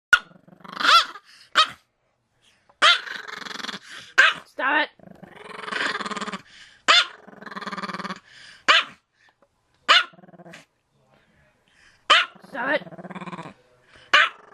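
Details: Max, a Pomeranian kept as a pet, barks at the camera in short sharp bursts, some with a growly edge, packed into quick clusters across the clip, while a person speaks calmly to soothe him in between.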